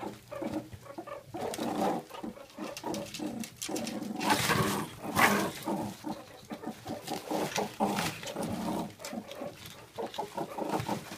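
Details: Captive adult male meerkat from a mob of ten, aggressively defending mealworms at feeding time; continuous rough pulsed growls and chatters, a louder burst of harsh calls around the middle, then steady rapid grumbling.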